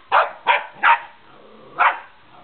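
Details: Remy, a dog, barks at a remote control car; four loud, short barks, three in quick succession and a fourth after a brief pause.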